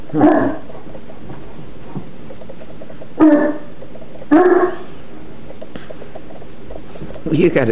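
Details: Newfoundland siblings romping and wrestling in play: short, gruff growling yelps come in bursts spaced a few seconds apart, with a low steady background rumble and quiet household sounds between them.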